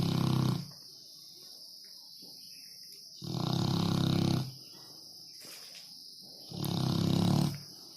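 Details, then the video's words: A sleeping dog snoring: three loud, low, rasping snores, each about half a second to a second long, come roughly every three seconds, with a steady faint hiss in between. "Funny dog snoring"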